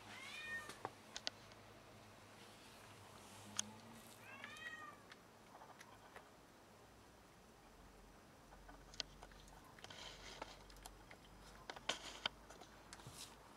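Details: Domestic cat that caught a rat and brought it along to brag, giving a few clear harmonic meows near the start and again midway, with light clicks and taps in a quiet indoor-sounding space.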